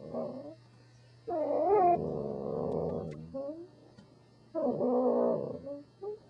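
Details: A Corgi 'talking' in grumbling, wavering moans and whines, one long rough bout followed after a pause by another, with a low steady hum underneath.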